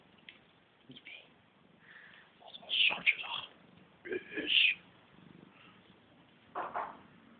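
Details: Siamese talking cats at Cattery Van Scarlettini give two loud, piercing high meows a moment apart, then a lower mew near the end, while people chat in Dutch nearby.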